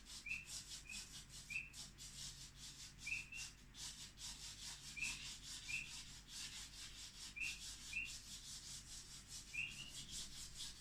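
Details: Painted reed frogs give short, high, whistled chirps in the background, repeated every second or so, early morning before dawn under overcast skies, no birds calling yet, near a rocky coastline southeast of East London.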